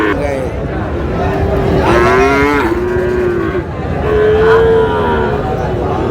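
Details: Sahiwal bull calves at market on 20 August, where a farmer from Tangail buys stock: a run of mid-pitched moos, repeated roughly every two to three seconds, overlaps with shouted bids and crowd chatter.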